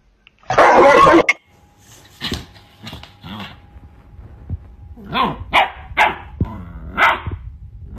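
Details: A Rottweiler gives one loud, harsh bark, followed by several shorter, softer barks, reacting to being shown a middle finger.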